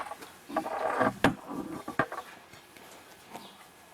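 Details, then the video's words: Domestic pigs housed in a farm building, a few young and one or two large, give rough nasal grunts and short squeals, with sharp knocks in between. "Quel cochon qu'on entend derrière là."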